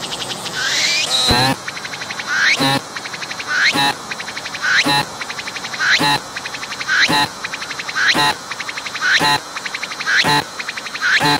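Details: A cicada, filmed at close range on a tree, sings by moving its abdomen: rhythmic rasping bursts with a rising whine, repeating about once a second.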